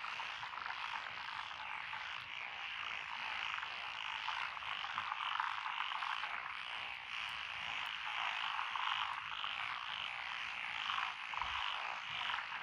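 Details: Frog chorus from lotus rice paddies along a rural road in Echizen, Fukui, Japan, 12 June 2021; many overlapping raspy, trilled calls merge into a continuous shimmering wall of sound with no pauses.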